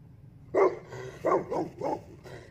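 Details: A dog, Jack, barks at an airplane while exploring behind the house: four or five sharp, mid-pitched barks about every half second, a softer final yelp, low background hum.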